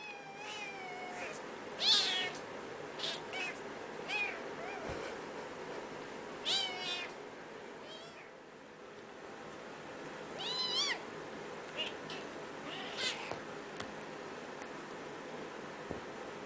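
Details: Domestic cat, a kitten playing with its angry mother; a series of high, wavering meows rising and falling in pitch, several clustered near the start and more around ten and thirteen seconds, over a steady indoor hum.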